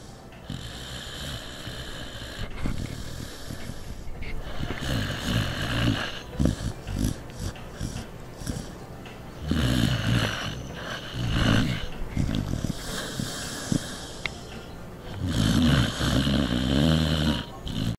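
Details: Sleeping pet dog named Norton snoring loudly, a rough low rattle rising and falling with each breath, heavy snorting swells repeating every couple of seconds, strongest near ten and sixteen seconds.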